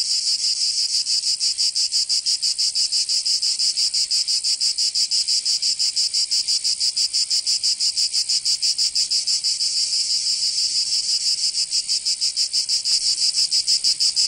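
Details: A long stretch of cicada song on a summer day in Provence, southern France, rapid rhythmic rasping pulses at about three a second, steady and unbroken.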